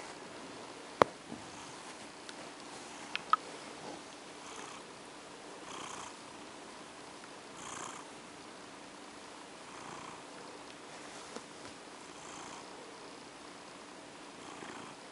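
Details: Female pet cat purring while being petted to sleep indoors; soft, breathy pulses swell and fade roughly every two seconds over a low hiss, with a few sharp clicks early on.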